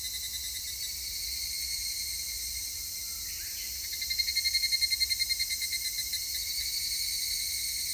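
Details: Higurashi cicada recorded 3 August 2021, a near singer breaking into a rapid, evenly pulsed ringing phrase around four seconds, each beat slightly fainter as it trails off, over a steady high chorus of other cicadas.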